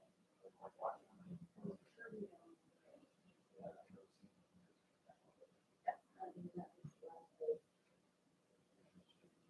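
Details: Cavalier King Charles Spaniel puppies Cooper, Conner and Jenny, born 06/09/2022, Ruby and Blenheim coats, on an indoor puppy cam overnight on 8/27; soft scattered grunts and short whimpering bursts, quiet throughout.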